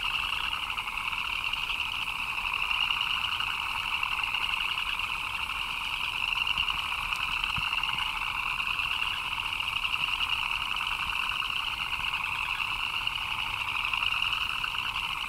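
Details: Frogs chirping in the rain: a dense, unbroken chorus of many overlapping callers, forming a steady high trill with a lower pulsing hum beneath, with no pauses across the stretch.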